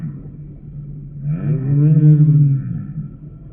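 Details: A humpback whale's song unit: after quiet low rumbling, a deep moan swells in with rising then falling harmonics, peaks loudly, and fades over about a second and a half.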